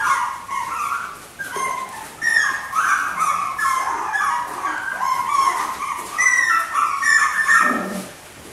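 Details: Whining chorus from four white miniature schnauzer puppy sisters born 18 August: continuous overlapping high yelps and wavering whimpers, several pups calling at once, with a short lower grunt near the end.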